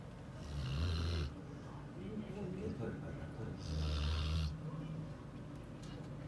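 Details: Sleeping Border Collie snoring: two long, rasping inhalations, each about a second long and roughly three seconds apart. Each is a low rumble overlaid with an airy hiss, with soft, rough breathing in between.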